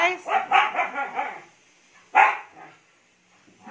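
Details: Hyper Siberian Husky indoors right after a bath, barking in a quick burst of about six rough, harmonic yelps over one and a half seconds, then a single loud bark after a pause, with the owner talking nearby.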